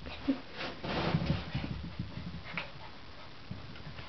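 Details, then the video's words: Two miniature poodles, Remi and Bijou, wrestling in play; low rumbling growls and scuffling build in the middle, with a short higher yelp near the start and quieter grumbles trailing off toward the end. "poodle fighting"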